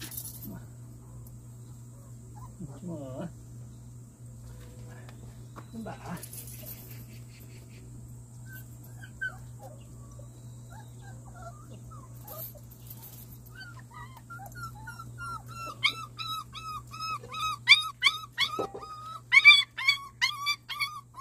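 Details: Month-old Jindo–fighting dog mix puppy from Simba's litter, indoors around vaccination time; quiet stretches and scattered soft sounds give way to a rising run of thin, wavering high whines repeated rapidly in the last six seconds, over a low steady hum.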